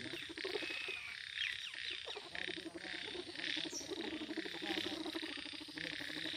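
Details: Frog among lotus flowers croaking in fast pulsed rattles repeated through the recording, over a steady high hiss of insects or background noise.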